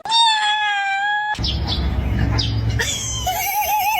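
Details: Domestic cat in a compilation of funny cat moments: a long, steady meow with stacked harmonics for just over a second, then a loud low rumble with short chirpy sounds, ending in a wavering, warbling meow-like cry.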